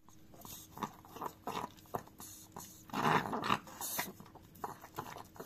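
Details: A chihuahua named Dio licking a frying pan indoors: irregular wet smacking and lapping bursts, roughly two to three per second, with a louder cluster midway, and faint metallic scrapes from the pan.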